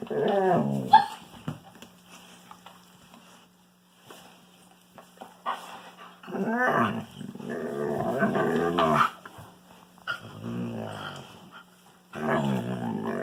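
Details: Wolfdog playing with a Kangal puppy: rough, throaty growls with moaning, warbling harmonics, delivered in bursts of one to three seconds separated by quiet gaps with faint scuffling.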